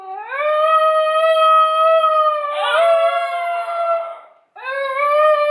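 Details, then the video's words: A basenji yodels in response to a played recording of another basenji, indoors; a smooth rising howl settles into a long steady tone, breaks briefly into a rough wavering passage, then a fresh rising phrase begins after a short pause. "A Basenji Singalong"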